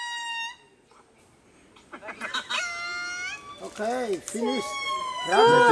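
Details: Singing indri lemur at the Palmarium in Madagascar: a held wail fades, then after a lull come several rising and falling howled notes, with arching moaning calls building louder toward the end.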